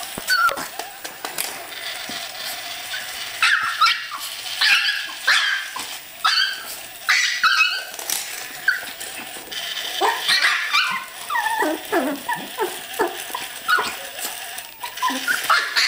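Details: Yorkshire Terriers attack spiders with a rapid run of shrill yapping barks and yips, often several within a second, broken by short pauses and whines, with scratching and scuffling underneath.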